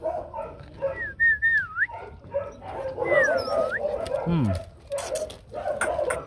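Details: Rottweiler puppies, one of four in the Loki 2 litter with mother Hanna Gervi, on selection day at a kennel. A few thin gliding whimpers over background chatter, with a brief lower downward squeal.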